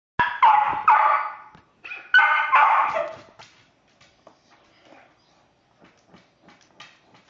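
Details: A West Highland White Terrier barking excitedly at animals on a television and computer screen; two loud bursts of rapid, harsh barks in the first three and a half seconds, then faint scattered yips and quieter sounds.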